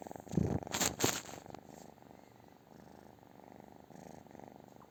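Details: British Shorthair cat purring, a fast rhythmic rumble; two brief loud rustling bumps at the start before the purr carries on steadily.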